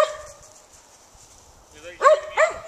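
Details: Daisy, a Gray's Mountain Feist, out in the trees: after a quiet stretch with a faint tonal sound at the start, two sharp, high, ringing barks burst out close together near the end.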